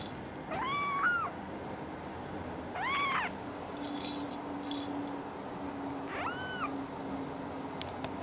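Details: Female brown tabby and white kitten, born December 24, 2010, uttering three rising-then-falling mews spaced a few seconds apart, with a faint steady hum and light clicks between them.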